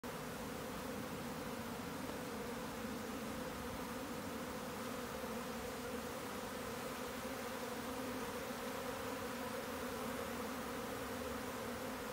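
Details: Swarming honeybees produce a steady, dense droning hum with strong low tones and layered overtones, holding unbroken for the whole stretch with no other clear sounds.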